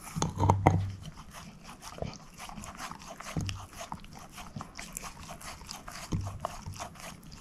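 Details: Moose, a female shepherd mix dog, working on a bone: a few low thumps and deep grunt-like sounds at the start, then softer, scattered crunching and licking noises.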